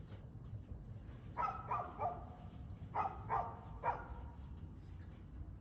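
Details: A dog barks in two clustered runs of three quick, sharp barks, filmed 2/6/2024 at 6:02 pm, over a constant low hum.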